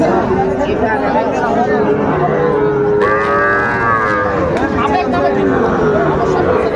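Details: Sahiwal cattle at a livestock market in Chapainawabganj, Bangladesh, on 19 September 2024, where bulls are bought for farming. Several animals give long, drawn-out moos that overlap, one rising and falling near the middle, over steady crowd chatter.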